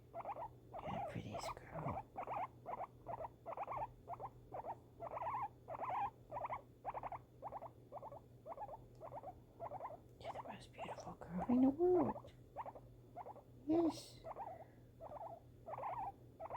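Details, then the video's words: Pet guinea pig reacting to fireworks indoors: short pulsed calls repeated steadily about twice a second, each a brief chirping burst, with a few higher squeaks near the end and a low steady hum underneath. "guinea pig reaction to fireworks"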